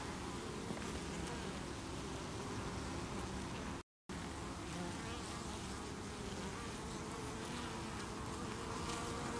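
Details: Colony of honey bees, 8 August 2018, fending off beewolf wasp (Philanthus triangulum) attacks at the hive entrance, bees forming a chain under the landing board. An unbroken humming buzz of many bees with one abrupt short silence midway.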